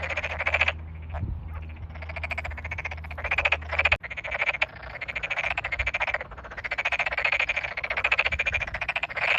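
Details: Tokyo Daruma pond frogs calling in a big chorus after water entered the rice paddies, Japanese countryside, May 2022, some individuals close by: rattling pulsed croaks in overlapping bursts, a short gap near the middle, low rumble early on.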